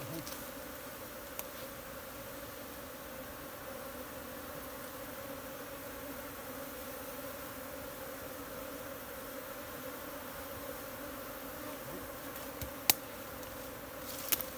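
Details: Wild honey bee swarm in a Nepal jungle, being caught by bare hand from a tree for transfer into a modern hive: a dense, steady droning hum with layered low tones, unbroken for the whole stretch, a few faint clicks.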